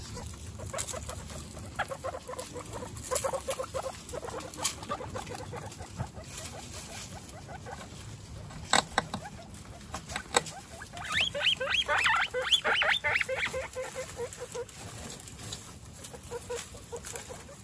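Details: One-week-old baby guinea pigs, Snow, Pistachio and Pumpkin, kept among a household of 29 guinea pigs, give scattered short squeaky chirps over rustling and shuffling noise, with a louder, rapid burst of high squeals near the end.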